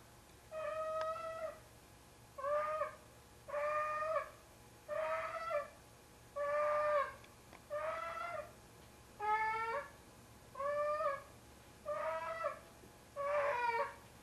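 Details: Heavy male domestic cat, about 25 pounds, carrying a pair of socks he treats as his kitten to bed, as he does nearly every night. Drawn-out, wailing meows with strong harmonics, around ten in fourteen seconds, steady and regular.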